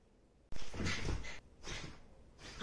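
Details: A 3-year-old female Mame Shiba Inu in Fukuoka gives short, noisy bursts of rough vocalizing. Around 7 a.m. she acts up to wake her sleeping owner, for the third morning in a row.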